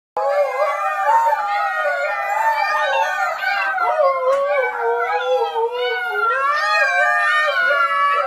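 Husky puppies howl together in wavering, overlapping voices that rise and fall.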